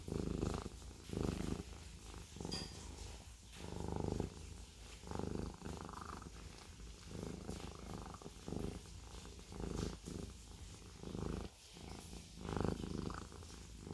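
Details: Siamese cat giving a deep, loud purr, its rumbling rising and falling in regular waves of about a second throughout.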